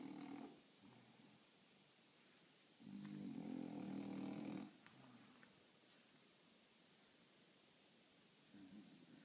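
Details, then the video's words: Napping French Bulldog in a funny position, snoring: a short snore at the start, then a long rough buzzing snore near the middle, and a faint one returning at the end, with quiet gaps between. "French bulldog snoring in funny position"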